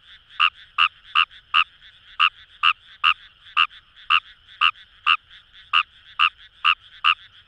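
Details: Fejervarya kawamurai croaking in paddy fields along the Kamo River, Itoshima, Fukuoka, Japan: short raspy croaks repeated about two per second in an uneven series, a quieter chorus of frogs continuing behind.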